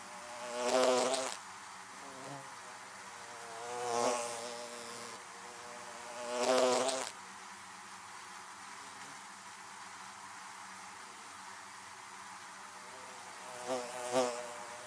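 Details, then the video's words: Bees buzzing around beehives: a continuous many-voiced drone with four loud close fly-bys, each a brief swelling buzz, spaced a few seconds apart over the background hum. "Bees buzzing around Beehives"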